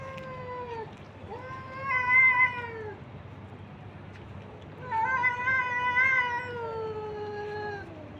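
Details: Stray street cats and kittens, abandoned and being fed by a man, giving loud, long wailing meows. Three calls arrive in succession, the last stretching nearly three seconds and sagging in pitch at its end.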